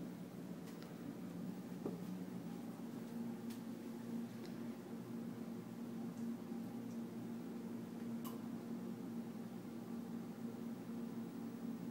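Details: Steady low hum of a fan or appliance fills a small indoor room, with a few faint clicks and taps and no animal voice.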